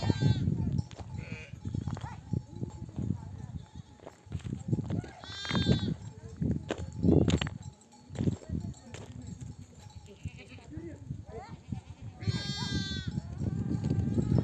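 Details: Ewes calling lambs to nurse as a nomadic flock comes home from grazing in the desert. Two loud, buzzy, ringing bleats stand out several seconds apart, between fainter calls and heavy low-pitched flock noise.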